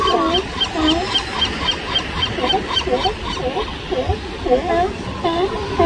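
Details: Newborn sea lion pup in California crying loudly for its busy, calling mother's attention; harmonic, wavering bleats rise and fall in quick succession over a steady hiss of surf and colony noise.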